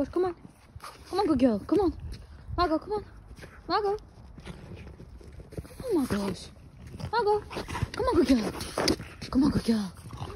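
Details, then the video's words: Margo, a French Bulldog, goes wild after finding a trophy ball on a walk: short whines that swoop downward come in bursts every second or two, mixed with a woman's excited voice outdoors. "What happens when french bulldog finds a ball"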